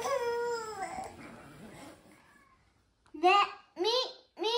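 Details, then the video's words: A Ragamuffin cat gives three short meows that rise and then fall. It is meowing along with a crying older sister who was just told off, after her crying. "注意されて泣き出すお姉ちゃんに合わせて鳴く猫 ラガマフィン A cat meowing to a crying daughter"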